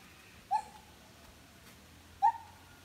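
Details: A gibbon at Lombok Elephant Park sings two loud, pure hooting notes, each brief and slightly sliding before fading, separated by a quiet gap of almost two seconds.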